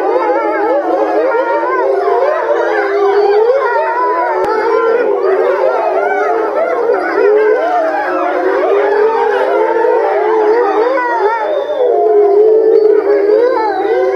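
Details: A captive pack of grey wolves at Tama Zoological Park, November 2013, all howling together: many overlapping, wavering, sliding tones weave into a dense continuous chorus, with some rising and falling around each other, without pause.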